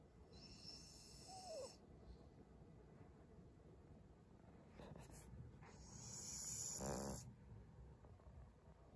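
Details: Maria, a 12-year-old senior female fawn Pug in Japan, snoring in February: two long hissing, breathy snores, the second swelling louder, with a faint short whine between them.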